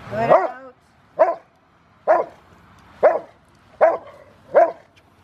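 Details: A five-year-old male Rottweiler named River v Schwarzerwald, in training ahead of a ZTP trial, January 2020, gives six deep, forceful barks, the first longest and rougher, the rest short and punchy at roughly one-second intervals.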